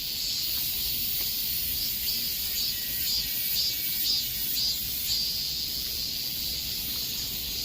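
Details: Cicadas in the heat of high summer keep up a piercing buzz that throbs in regular beats of about two per second. No other sound rises above the drone.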